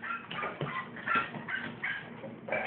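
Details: Cairn Terrier in an excited, worked-up state, recorded on a phone: high, thin whining and short yips that rise and fall, with brief vocal squeaks and a man's voice nearby.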